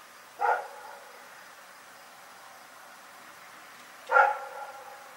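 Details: A dog named Rex barking in the night: two short harmonic barks, one near the start and one about four seconds later, separated by quiet background hiss.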